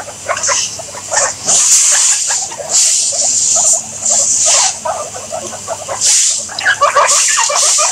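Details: Guinea pigs making rapid bursts of short squeaky chirps, several notes in quick clusters, mixed with loud rustling hiss like movement through bedding that swells and fades every second or so.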